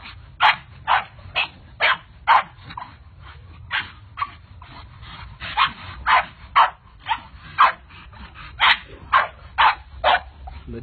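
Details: Pit Bull barking in a funny pet compilation: loud, sharp barks about twice a second, in uneven bursts with brief pauses, over faint low-pitched background noise.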